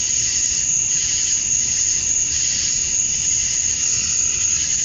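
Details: Male cicadas calling to attract females at summer dusk in Georgia, USA: a dense, unbroken high shrill chorus with slow swelling, pulsing layers beneath a steady piercing tone; no other clear sounds.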